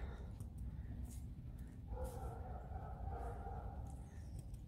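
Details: Alisa, a tame fox, complains while playing: a soft, steady, whiny drone rising into a louder harmonic grumble midway, with background hum and light rustling.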